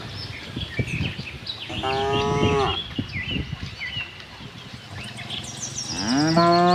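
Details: A tame herd of cattle roaming a farm in search of fresh grass low with drawn-out, harmonic moos while small birds chirp in the background.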